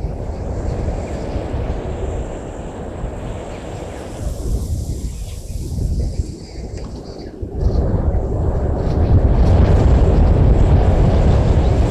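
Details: Loud wind buffeting and low rumbling, like a passing aircraft, fill the recording, with no animal calls heard.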